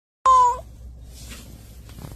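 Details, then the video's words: Domestic cat shut in a cage, sounding aggrieved, gives a single short meow, a clear harmonic tone held level then cut off after about a quarter second, followed by quiet room hum. "케이지에 갇혀 억울한 고양이"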